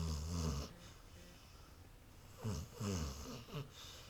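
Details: Lexie, a pet dog asleep on a couch with her eyes open, snores loudly indoors; a low rumbling snore at the start, then two shorter, rougher snorts about a second apart, each with a faint breathy hiss.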